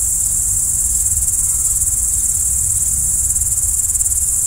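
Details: Crickets at night sustain a continuous, shrill high trill without pause, with a soft low rumble underneath.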